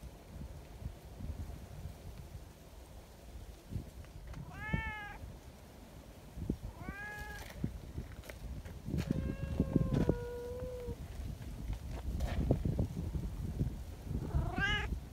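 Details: Community cats in Japan greet with meows and want to be petted alongside each other. Scattered meows come every couple of seconds, including one long, level meow, over constant low rumbling and rustling background noise.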